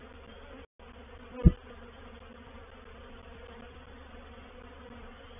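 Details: Honey bees of a reproductive swarm settling into a swarm trap at Painted Peacock Manor, 04/07/21, give a continuous deep hum, broken by one sharp tap and a short gap of silence.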